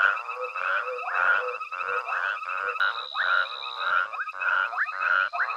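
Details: Frogs calling together at night at Hwange Safari Lodge, with a foraging elephant herd present: rapid grating croaks repeated nearly twice a second, some with brief rising sweeps, over a constant high trill.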